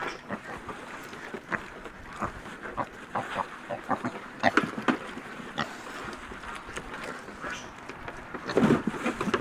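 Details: Piglets at breakfast feeding time, giving short, rough grunts and snorts in an irregular stream, several close together, with a louder squealing burst near the end over a steady noisy farmyard background.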